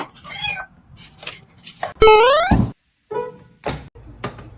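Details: A domestic cat lets out a loud, rising meow rich in harmonics, about half a second long, then a shorter, fainter meow a moment later, with thumps and knocks around it.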